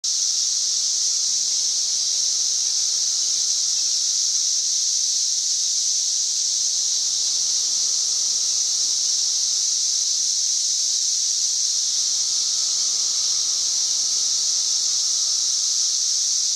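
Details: Cicadas singing on May 31, 2024, loud enough to reach about 90 decibels: a dense, unbroken high buzzing drone that stays steady and shrill for the whole stretch, with no other clear sounds.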